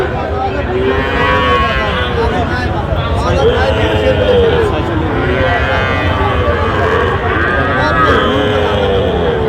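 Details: Several arching, tonal moos from Sahiwal bull calves at a busy Tangail cattle market in Bangladesh, 16 October 2025, calling one after another while people haggle nearby and crowd babble fills the background.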